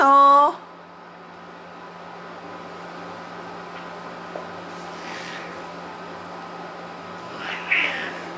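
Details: A Bengal cat, annoyed at a young Abyssinian kitten in play rather than a real fight, gives one short, loud, tonal meow, then a quiet room with faint rustles follows.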